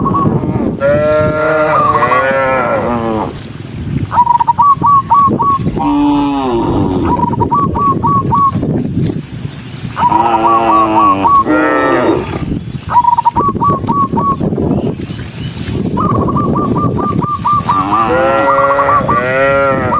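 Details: Dozens of tame cattle walking along on foot; several cows (Bos taurus) moo in long, deep, wavering bellows that rise and fall, one after another. Finding: Cow.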